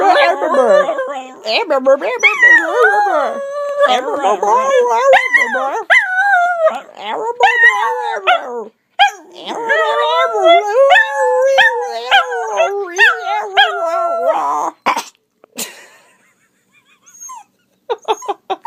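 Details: Dachshund reacting to sounds that drive him nuts, giving a long run of wavering howling and yowling with quick pitch wobbles for about fifteen seconds, with a person speaking over it and a few short sounds at the end.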